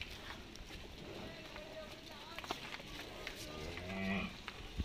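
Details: Cows at a daily feeding of cows and monkeys at Gau Ghat, Mathura, India, during Yamuna Mission feeding; one short, low, droning moo swells near the end over a steady background of outdoor murmur, clatter and faint voices.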